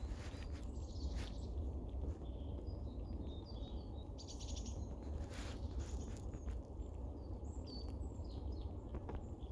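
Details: Female red squirrel on a snow-free day, hurriedly eating and storing nuts and tree seeds, warning two other squirrels nearby to keep away: thin, high squeaks and short chuckling notes scattered over a steady low rumble of background noise.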